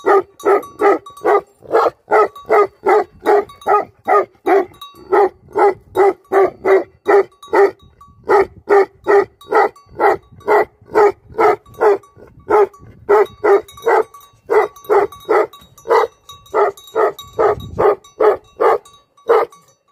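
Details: Rapid, steady barking from livestock guardian dogs, about two barks per second for twenty seconds. Each bark is a short, rich, mid-pitched burst, with a slight pause near the middle.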